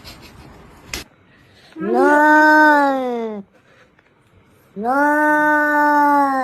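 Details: Cat voicing two long, drawn-out, steady meows, each lasting over a second, separated by a short pause, in a quiet indoor setting.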